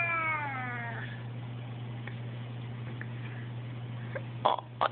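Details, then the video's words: Male pet cat kept inside by a window, upset and crying: one falling meow of about a second opens, followed by quiet room noise, faint clicks and brief muffled bursts over a low hum. "the Crying Cat"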